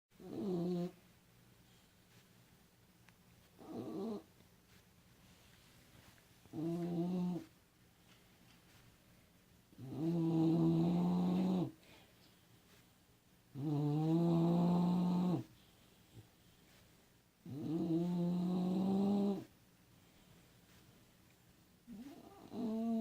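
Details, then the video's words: A sleeping dog snores in regular voiced bursts about one to two seconds long, recurring roughly every three to four seconds, each with a whining, tonal edge that glides in pitch; a faint steady hum sits underneath. "Snoring dog"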